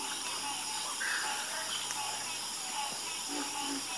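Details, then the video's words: Frogs croaking in a night chorus: short low croaks and brief mid-pitched calls scattered over a steady high, hissing wall of continuous insect-like trilling, with no single caller standing out. "Calming Sound Of Harmonious Frog Croaking"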